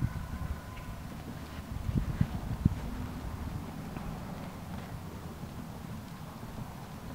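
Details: Hooves of Teddy, a 2003 Large Welsh Pony gelding under a youth rider on her first ride on him, coming down from canter to trot: steady low clip-clop thuds, about two per second, a few sharper strikes midway, with faint background noise.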